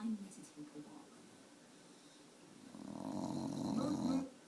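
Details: Dog named Tater indoors, wanting a popsicle stick: a low nasal whining grumble swelling over the last second and a half, with brief speech at the start.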